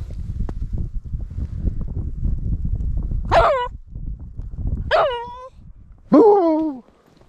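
A Cairn Terrier gives three sharp, high barks over a low background rumble.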